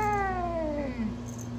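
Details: Domestic cat during play: a single drawn-out meow, starting high and sliding steadily downward in pitch over about one second, then fading, with a low steady hum underneath.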